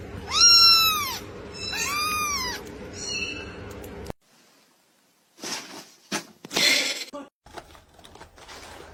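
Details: Domestic cat in a funny cat meme compilation giving two loud, clear meows, each rising then falling in an arch. A short fainter call follows, then a quiet pause and bursts of clatter and noise.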